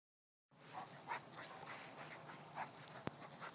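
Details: Black Labrador puppy Bailey playing with Roscoe, a large German Shepherd and Labrador mix, at home: soft rhythmic panting with faint whimpers, a sharp click near the end.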